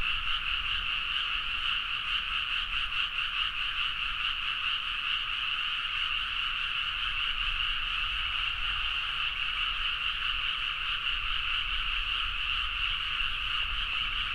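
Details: Frogs in a dense midnight chorus in rice paddies at Nagaoka, Niigata, Japan, recorded on a Zoom H4n; a steady unbroken wall of croaking pulses centred in two bright bands, fast and overlapping, with low rumble beneath.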